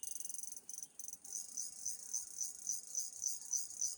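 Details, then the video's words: Cricket calling, a high shrill continuous trilling pulsed in rapid bursts, with a brief break near the start and then steady regular pulses about four per second; no other sounds. "ঝি ঝি পোকার ডাক!!Sound of Cricket"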